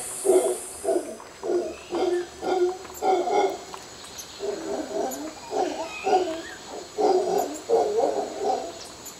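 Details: Mantled howler monkeys calling in Costa Rica: bursts of deep, rasping grunts in pulsing runs with brief pauses between runs, over soft background noise and faint high whistles.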